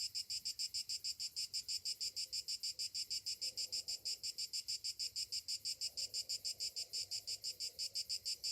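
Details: Summer morning cicada chorus, a piercing high buzz broken into even, rapid pulses roughly three per second, unbroken throughout, over soft distant low sounds.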